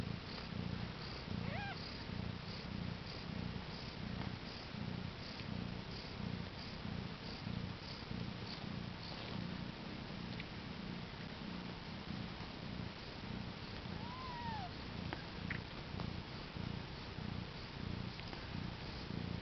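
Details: Domestic cat that gave birth to four kittens on April 22, 2010: steady low purring that pulses in breath-length cycles, about one and a half per second, with a faint high kitten mew near the start and another later.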